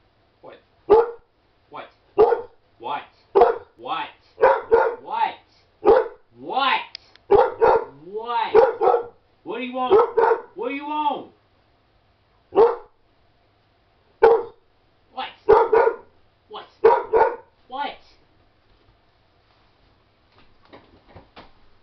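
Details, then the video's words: Naga, a Shepherd/Husky mix, talking back in a sassy shouting contest with his family: short yowling bursts and drawn-out wavering howl-talk, answered by a person repeatedly asking what he wants. "Naga Talking Back"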